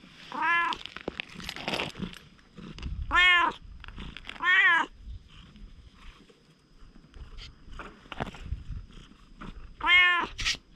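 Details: Stray cat warming up to people: four bright, clear meows spaced a second or more apart, with light rustling and handling noise between.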